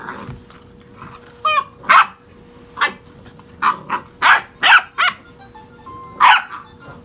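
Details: Puppies about six and a half weeks old playing wildly, giving short high yips and small barks in quick bursts, roughly eight in seven seconds, over a steady low humming tone.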